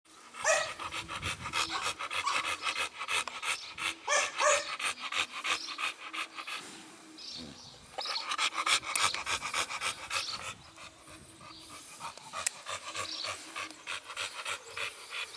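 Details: An American Bully dog called Blue Lexis of BBK panting rapidly, about three breaths per second, in bursts with a short pause near the middle; faint background sound beneath.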